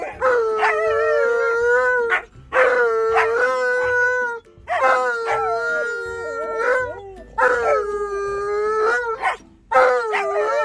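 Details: Indoor Alaskan Malamute howling and yelling to be let out to pee, with a second dog joining; drawn-out wavering howls about two seconds long, separated by short silent gaps, some ending in yelping inflections.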